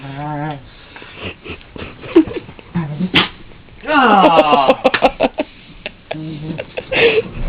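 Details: A female Plott Hound playing roughly with a man gives whiny, sliding vocal sounds, then short, sharp sneezes on him.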